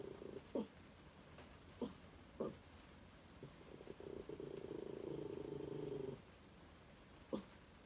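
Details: Pet dog at home during spring break, apparently threatening a curtain: soft muffled single woofs near the start and end, with a low steady growl lasting about two seconds in the middle, in a quiet room.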